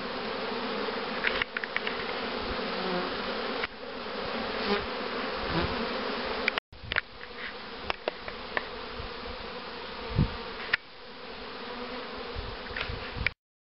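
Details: Steady hum of honey bees at beekeeping hives set up to rear queens: a constant, harmonic drone with sharp clicks and handling knocks, a brief break in the sound around the middle, then the buzzing resumes.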